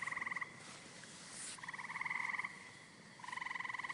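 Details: Green frog calling: three buzzy, pulsed croaks, each roughly half a second to a second long, separated by short pauses, with a faint hiss behind.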